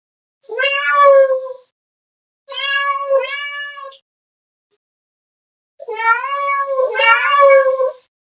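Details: House cat meowing to call another cat: three loud, drawn-out meows, the middle one broken into two parts, the last long and wavering, separated by silent pauses of a second or two.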